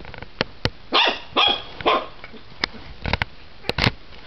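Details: Three quick loud barks in a row from Diesel, a dog who is getting big, followed by scattered clicks and shuffling sounds and a short whine-like noise near the end.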